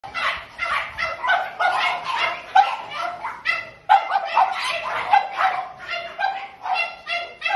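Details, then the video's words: French Bulldogs in a kennel, many overlapping high yapping barks in dense bursts with hardly a pause throughout "French Bulldog Kennel"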